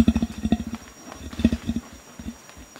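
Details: Low grunting from a male Bornean orangutan, a warning threat directed at gibbons; a quick cluster of deep grunts opens the clip, followed by a shorter second cluster and then softer, sparser grunts.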